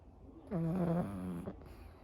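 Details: Anko, a pug who falls asleep quickly, gives one long droning snore with a steady nasal hum and rattling texture, lasting about one second before fading into quiet breathing.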